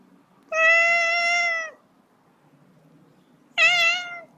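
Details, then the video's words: Two kitten meows: the first long and flat, lasting over a second, and the second shorter with a quick rise and fall. A quiet pause of about two seconds separates them, with a soft hum in the background. "LITTLE KITTEN MEOWING"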